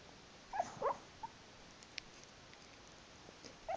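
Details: Dreaming dog Jerry talks in his sleep with a second dog close by, giving a quick burst of thin, wavering squeaks and whines, then a lone click and one more soft whimper at the close.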